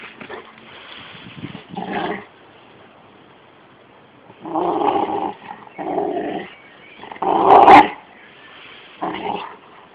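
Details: Rottweiler aged 13 months and a 6-month-old Jack Russell cross playing together, one of them barking: short harsh gruff barks and growly bursts in separate clusters, with quieter grumbling between.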